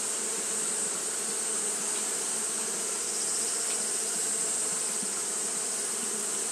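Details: Japanese honey bees fanning continuously on a hot day, giving a steady, dense buzzing hum with low droning bands and a constant bright high hiss layered over the whole stretch.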